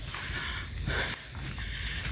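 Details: Crickets on the peaceful Sumber Lumpang route of Mount Penanggungan near Trawas, Mojokerto, in forest away from crowds. An unbroken high, ringing buzz sits at two steady pitches, with a brief soft scuff midway.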